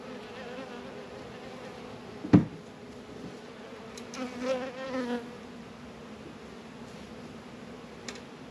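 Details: Worker honey bees droning around a beehive during February hive work in northern Kentucky at 72 degrees; steady hum, one sharp crack of equipment early on, then a bee's wavering buzz sweeping past midway.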